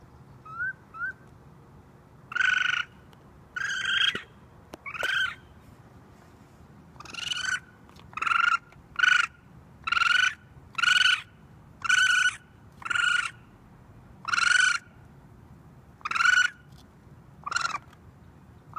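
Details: Baby raccoon screaming for its mother on a roof, starting with two faint short chirps, then a long run of about fourteen piercing, buzzy cries repeated roughly every second, steady in pitch.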